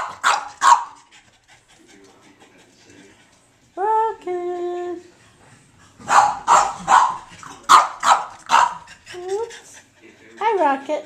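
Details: Foster dog Rocket alternates a rapid burst of barks with drawn-out rising whines, a tonal whine near the middle, then a run of quick barks and a final upward whine, indoors.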